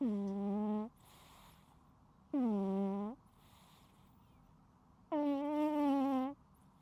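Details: A sleeping cat snores loudly and continuously: three long, harmonic, nasal drones, the last one stretched to over a second, coming every two to three seconds, with faint breathy intakes between them.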